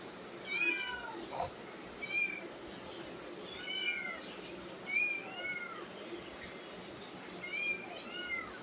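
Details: Domestic cat meowing indoors, a series of short arched mewing calls, about seven repeated every one to one and a half seconds, with fairly quiet background.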